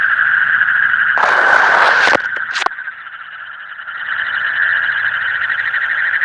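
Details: Night frog chorus, recorded in the deep night, where a loud rushing noise burst and a few knocks briefly cover the pulsed trilling before the dense, buzzing chorus resumes and swells again.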